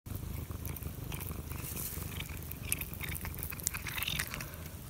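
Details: Domestic cat purring; steady low rumbling purr throughout, mixed with wet chewing and licking sounds.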